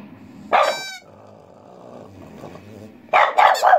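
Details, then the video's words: French Bulldog bitch answering a pipe: a short high pipe toot, a stretch of quiet room noise, then three hoarse, closely spaced barks near the end. "Французский бульдог Ася гавкает под дудочку"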